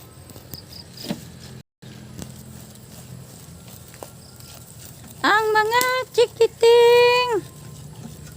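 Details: At evening feeding a goat gives a higher-pitched, strained bleat in several quick bursts, followed by one sustained wavering call. Faint voices and rural background come before it.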